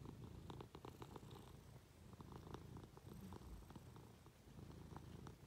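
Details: Affectionate Munchkin cat climbing onto its owner in bed, purring continuously: a low, throbbing rumble with brief rustling and small clicking noises mixed in.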